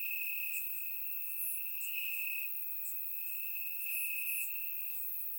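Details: Crickets chirping in grass on a warm summer night in Bulgaria, captured with a surround microphone: a steady high trill holds throughout, swelling in brighter bursts, with fainter higher chirps layered above from other insects.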